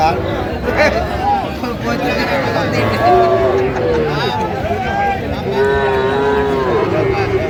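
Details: Cattle, small bulls and heifers, at a Bangladeshi livestock market; short wavering moos from more than one animal rise above steady crowd chatter and background bustle.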